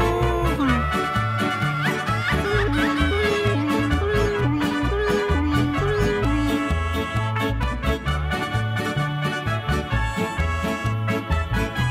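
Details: Upbeat instrumental music with a steady bouncing bass line and bright melodic tones, with no animal sounds audible.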